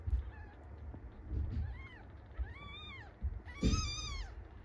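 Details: Day-four weighing of five newborn kittens indoors. Repeated plaintive high mews, each bowing up then down, grow louder and longer toward the end, mixed with thuds and rustling from handling.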